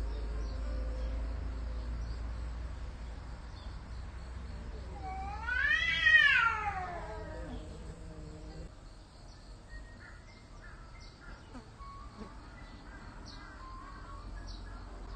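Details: Cat giving a long caterwaul: a rising then falling wailing yowl that swells loudest around the middle and fades over about four seconds, followed by quieter scattered sounds and low background hum.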